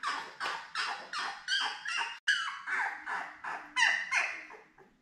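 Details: Newborn Labrador Retriever puppies, a litter of seven born May 24, 2021, beside mother Belle indoors, filmed June 4: a steady series of breathy, high squeaks, about three per second, each fading quickly, with soft rustling between them.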